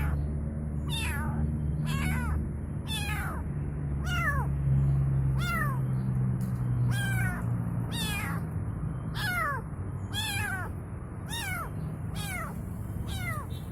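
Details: Kitten calling its mother in a persistent series of brief, piercing meows, about one per second for nearly fourteen seconds, each arching in pitch, against a constant low droning background.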